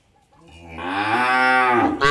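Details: Cow on an Indian dairy farm giving a single loud moo, a deep harmonic-rich lowing that swells from quiet to full strength and holds steady before breaking off abruptly.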